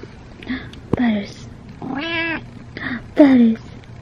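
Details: Male domestic cat meowing while being brushed indoors, losing a lot of fur. Several short meows slide downward in pitch, the last one loudest, with a steady low hum and a woman talking to him softly in between.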